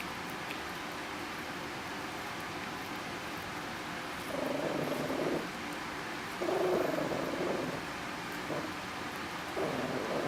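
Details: Chihuahua eating corn and refusing to share it, giving low rumbling growls in three bursts, near four, six and a half, and nine and a half seconds, each lasting about a second, over a constant background hiss.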